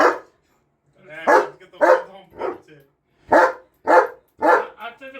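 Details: A German Shepherd barks in loud, rough, seemingly aggressive bursts, about two each second, with short pauses between, while people indoors talk about taking down birthday decorations.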